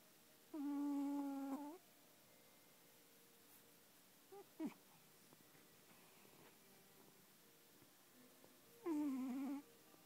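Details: Sleeping cat snores with a long, steady, buzzy-tonal breath, then a couple of brief faint squeaks, then another long wavering breath about eight seconds later, in a quiet indoor setting.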